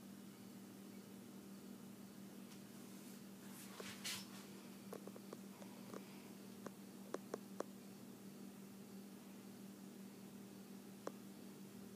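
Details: A low, constant room hum runs throughout, like a fan. A few faint clicks and brief rustles break through, but there is no bark, whine or other clear animal call.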